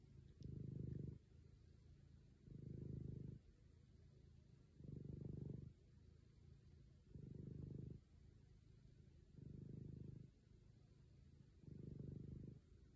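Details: Diabetic black cat lying on a couch, purring loudly; a steady low rumble swells in six regular bouts roughly every two seconds, softer purring continuing in between, no other sounds.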